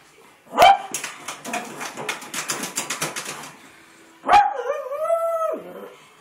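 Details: A pug, which dislikes other dogs, barks at another dog: a sharp bark, a rapid burst of rough yapping, then a drawn-out whining howl.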